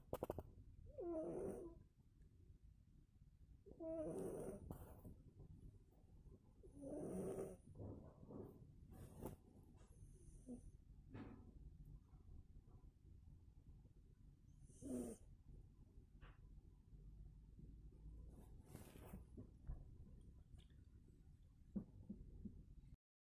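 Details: Domestic cat asleep and snoring like a man: a slow series of hoarse, rasping breaths roughly every three seconds at first, then more spaced out, with small clicks and rustles in a quiet indoor room.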